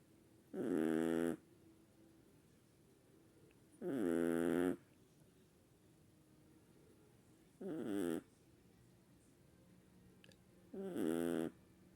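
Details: Chihuahuas snoring: four rasping, harmonic snore bursts, each under a second, spaced about three and a half seconds apart, with quiet breathing gaps and a faint steady background hum.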